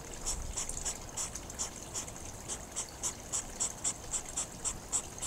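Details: Hedgehogs during courtship, snorting in a fast rhythmic series of short breathy hissing huffs, about three or four a second, steady and evenly spaced throughout.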